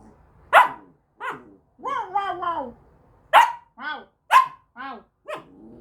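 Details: Samoyed puppy demanding attention, giving sharp yelping barks and drawn-out wavering whines in an uneven series, with a woman's voice speaking to it in Russian.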